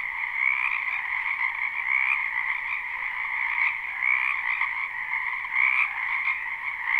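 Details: Crowded spring chorus of frogs in a wetland near a house, live recording: a ceaseless trilling drone with pulsing swells about every one to two seconds and faint high chirps above.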